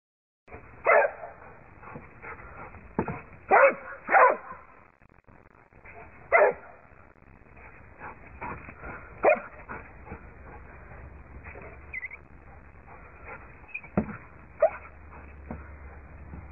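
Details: Dog barking while hunting a squirrel: sharp barks cluster near the start and again around three to four seconds, then single barks come every few seconds over a steady low hum. Muffled, narrow-band recording.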